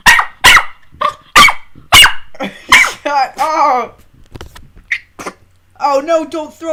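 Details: Puppies at play indoors give a run of shrill barks in quick succession, then drawn-out wavering whines and yelps, with a girl talking to them.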